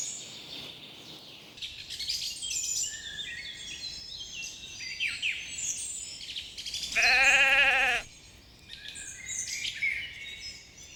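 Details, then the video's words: Sheep grazing leisurely on a spring meadow. A single wavering, harmonic bleat lasts about a second near the end and rises clearly above a steady chorus of chirping, whistling songbirds that fills the whole stretch. "Sounds of sheep bleating"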